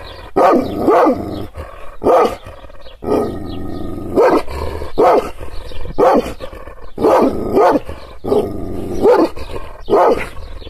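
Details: Provoked by hand movements, an angry Kangal shepherd dog barks deeply about every second, with a low, sustained growl running underneath between barks.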